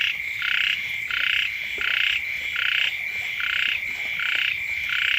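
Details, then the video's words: Frogs croak outside a house in the early rainy season, several kinds calling. Seven coarse pulsed croaks follow one another at an irregular pace, over an unbroken high-pitched ringing chorus. "เสียง กบ เขียด ร้อง อยู่แคมบ้าน"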